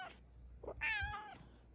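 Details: A female Bengal cat in her cat cave gives a short, sweet meow with a rising then gently falling tone, asking for cuddles.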